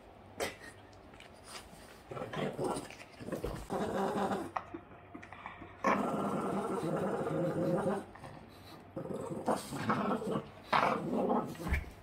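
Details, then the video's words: Yoda, a Boston Terrier, growls during play in long rough stretches broken by pauses, with rustling and a human voice briefly speaking. "Crazy dog funny growling and playing [Life of a Boston terrier]"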